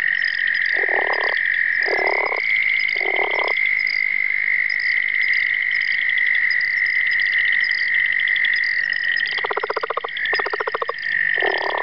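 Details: Calling southern leopard frog, Rana sphenocephala: three rasping, pulsed croaks about a second apart, a pause, then another run of chuckling grunts, all over a continuous shrill trilling chorus.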